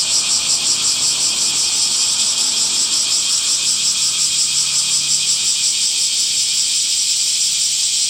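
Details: Loud, constant high-pitched droning of cicadas in summer, rapidly throbbing and never stopping, with a weak lower buzz underneath early on.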